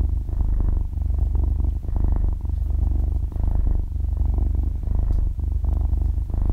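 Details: Young kitten, half a year old, asleep and purring, close-miked with no talking or music; low, buzzing purr like a small motor, waxing and waning with each breath roughly every second, brief dips between cycles.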